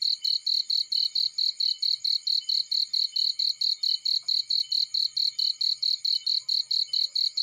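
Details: Cricket in a field by a warm fire, giving a clean, regular series of piercing high pulses, around four each second, with almost nothing else beneath it.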